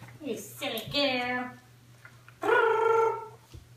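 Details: Female Basenji Ginger Snap at play, wrestling with her owner inside the house. Two tonal vocalizations: a short rising-then-falling whine, followed by a longer, steadier yodel-like howl, set among brief human speech.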